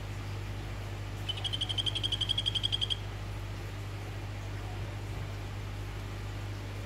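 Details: Orange Phyllobates vittatus calling a female: a single trill of about fourteen sharp, high clicks in under two seconds, growing louder toward the middle. Silence follows, apart from a steady low hum.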